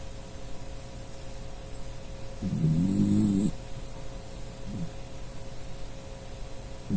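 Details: Sleeping Dachshund named Puchi, a dog that often snores in its sleep; one loud, low rasping snore lasting about a second, followed by faint breathing and short soft snorts.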